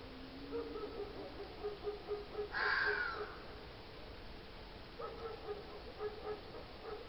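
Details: Red fox giving a single harsh, rasping call with a slightly falling tone, about half a second long, over steady background hiss and faint low hum.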